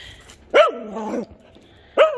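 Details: Male mixed-breed dog, adopted from a shelter at three months old in 2009 after being found wandering a highway, now twelve years old, gives two short, sharp barks with a rising then falling tone, about one and a half seconds apart, over quiet room noise.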